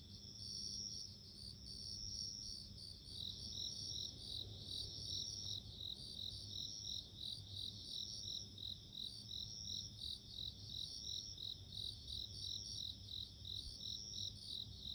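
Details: Bell cricket song in nature: rapid high tinkling pulses repeat over a steady piercing ring, with several insects seeming to overlap. Low rumbling background noise is present throughout.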